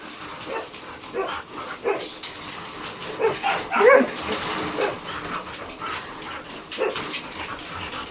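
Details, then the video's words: Two very hyper dogs, Logan and Kaido, reacting to insects, birds and voices; scattered short yelps and whines rise into a louder cluster midway, over a steady hissing background. "Logan and Kaido very hyper, even insects, birds and voices catches their attention."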